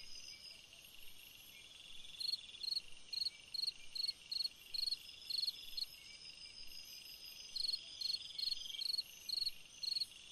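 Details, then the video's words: Cricket song on a summer night, quiet at first, then a run of brief pulsed chirps roughly every half second with a short pause midway, over a constant high background insect drone. "Chant d'un grillon dans une nuit d'été / Singing a cricket in a summer night"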